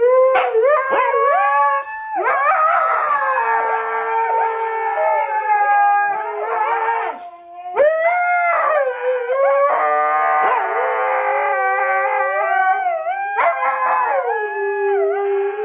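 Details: Husky giving continuous, loud, overlapping howls that swoop up and down in pitch, with warbling, talkative inflections and brief yips between sustained tones, pausing briefly midway.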